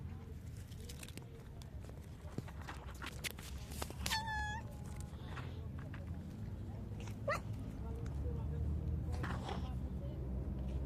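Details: A homeless street cat gives a brief, tonal meow asking for food, over low rumbling street noise.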